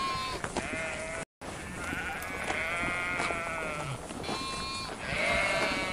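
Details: Overlapping sheep bleats, long quavering calls with rich harmonics, some higher and some deeper voices answering each other, a brief dropout near the start and continuous background rustle.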